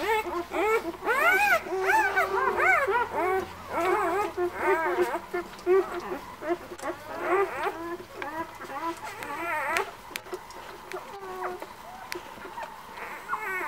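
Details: White Swiss Shepherd puppies of a litter born 11 August at a breeding kennel, several whining at once: high arched whimpers, rising then falling, overlapping in quick irregular succession, with a faint low hum beneath.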